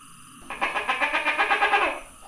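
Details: Tokay gecko calling, recorded 27 May 2020: a rapid, evenly pulsed rattling series of about a dozen harsh beats, lasting roughly a second and a half, over a steady high background hiss.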